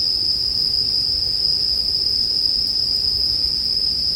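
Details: Bell cricket song, a steady high ringing tone held without break through all four seconds, with a faint overtone above it. Low soft rumbling sits underneath, and nothing else stands out.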